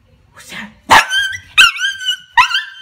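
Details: Male pet Dachshund, having waited all day, greets his owner as she returns home: three sharp, high yelping barks about two-thirds of a second apart, each with a ringing, whine-like tail, after a soft breathy sound.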